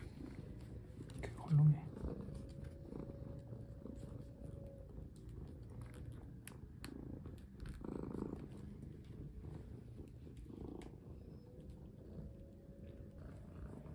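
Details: Domestic cat purring while being played with indoors as a collar is put on; continuous low rumbling purr, a faint steady humming tone, rustling, and a person speaking Korean briefly.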